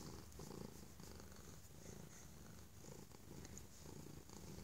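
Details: Holyfield, a stray cat brought inside for love and safety, purrs loudly in gratitude: a deep, even, throbbing rumble with rhythmic breath-linked swells and no other voices.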